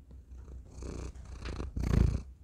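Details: Close purring from the cat Thor into a tiny microphone, a rumbling low drone that swells into a louder breathy surge toward the end.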